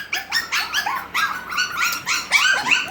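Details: Havanese puppies six weeks old, doing more crying than playing: repeated high-pitched whining yelps in quick succession, some overlapping, in a small indoor room.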